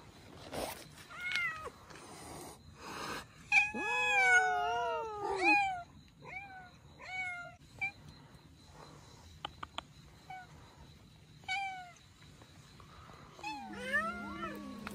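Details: Abandoned Russian Blue mother cat and kittens at their rescue, giving repeated high, bending meows, some long and wavering, others short and clipped, overlapping at times, with brief knocks and rustles between calls.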